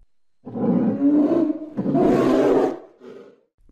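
A polar bear gives a deep, rasping roar in two long, throaty bursts, then a shorter grunting tail, all within about three seconds.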